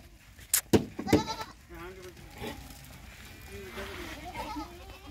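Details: Sirohi goat on a goat farm in Nagaur, Rajasthan, India: a few wavering, nasal bleats follow sharp knocks and a man's voice, with soft rustling beneath.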